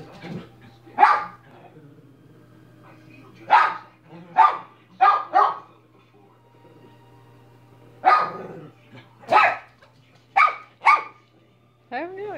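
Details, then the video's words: Minnie the dog barking in short sharp bursts, single barks and quick doublets spaced irregularly with pauses of one to four seconds, against a steady low hum; a whining, sliding call closes the sequence. "Minnie barking for 5 minutes"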